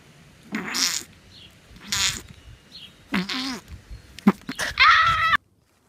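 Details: Puppy making a series of short yelping cries and squeaky whines, about five bursts over five seconds, the last a higher wavering whine.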